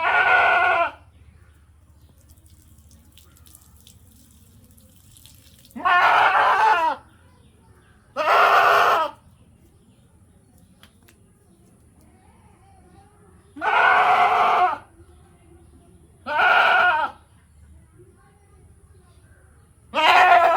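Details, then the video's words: Goat giving a run of six harsh, raspy bleats, each about a second long, spaced irregularly several seconds apart over a faint steady hum. "বাচ্চাদের জন্য ছাগলের শব্দ | goat sounds for babies"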